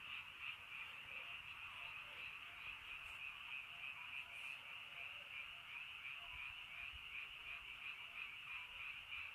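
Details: Early-night frog chorus in rainy countryside: dense overlapping trilled croaks repeating about three times a second, merging into a constant high buzz, with brief faint clicks.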